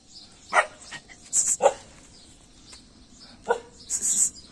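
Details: Dogs barking outdoors on a foggy morning: three short, sharp barks at uneven intervals, the first two close together and the last after a pause, with faint high bird chirps running behind.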